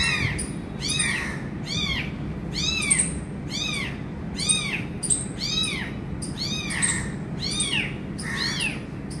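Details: Repeated high-pitched meows from an abandoned kitten reunited with its injured mother, which feeds it. The calls are arched and rise then fall, coming about once per second in a fairly even series over constant low rumble.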